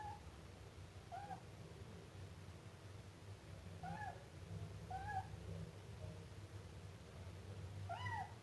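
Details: Meows from a Siamese kitten: scattered brief, curved squeaky cries, a handful across the stretch with the loudest at the end, plus a steady low hum in the background.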